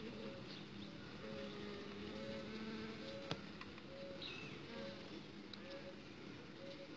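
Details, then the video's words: Outside the hive box, an uruçu stingless bee princess is being mated. Short higher-pitched buzzy whines recur over a steady low humming drone, with a single sharp click and soft high chirps behind. "Princesa de uruçu sendo fecundada benyro da caixa"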